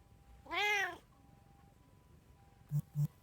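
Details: House cat among a trio of tabby, Munchkin and Abyssinian, filmed 6 January 2024: one full, loud, arching meow lasting about half a second, followed by silence and two dull thumps near the end.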